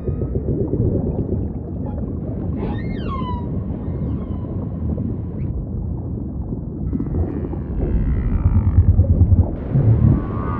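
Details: Humpback whale song: a few rising and falling whistled sweeps with harmonics around the third second, later faint wavering tones, all over a steady deep rumble of ocean ambience.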